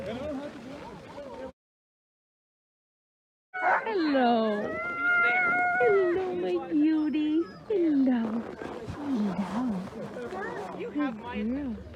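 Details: Alaskan Malamute sled dogs in Larose Forest, Ontario, Canada, on a -30 degree C winter day, let out loud drawn-out howls with steady held tones and wavering whines after a brief silence, several dogs overlapping.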